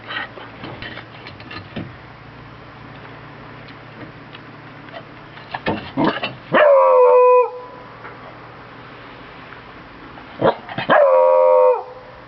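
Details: Pet Beagle Bruno bays twice, about four seconds apart. Each time a cluster of sharp yaps leads into a sustained, slightly falling howl, with scattered clicks and rustling between.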